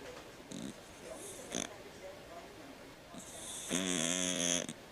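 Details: Sleeping domestic cat snoring, with short noisy breaths early on and then a louder, longer rasping snore with a buzzy, layered tone near the end.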